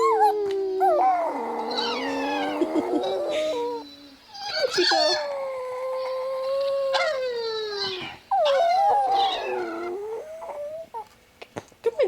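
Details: Chihuahua howling indoors, prompted by dog howling videos played on a phone; long sustained wavering howls, some rising and falling, in several drawn-out bouts with brief pauses, a person speaking softly nearby.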